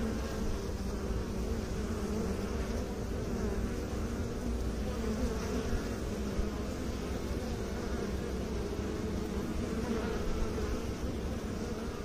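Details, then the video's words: A dense, continuous low hum of honey bees around beekeepers, droning evenly throughout with soft layered overtones and no pauses. "Bee song"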